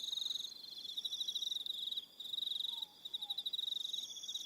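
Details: Evening crickets on Aroha Island, New Zealand, keep up fast, high pulsed trilling with short pauses, several insects overlapping; a faint lower whistled note slides by near the end.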